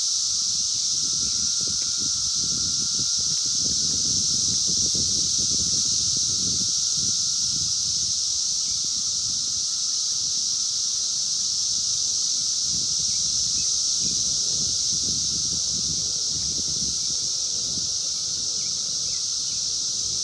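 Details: Massed wild periodical cicadas of 17-year Brood X, 2021, phone recording: a relentless high-pitched whirring chorus with a sustained mid-pitched hum, accompanied by intermittent low rustling and thumping noises.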